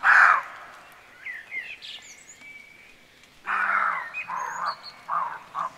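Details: Frightened roe deer barking in Rold Skov forest, Denmark: one harsh, hoarse bark opens, then after a pause a run of four rough barks, each shorter than the last, with small birds chirping and twittering in the gaps.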